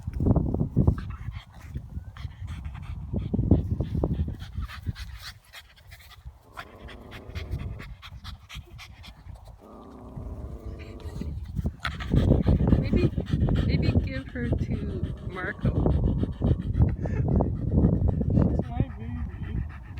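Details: Puppies meeting each other for the first time, one of them tired: rapid, steady panting breaths repeat about three times a second in loud bursts, easing midway and then returning strongly, with occasional faint human voices.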